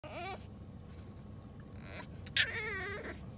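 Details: A tiny female French bulldog puppy cries with high, wavering whines that rise and fall, calling for her owner after he steps away.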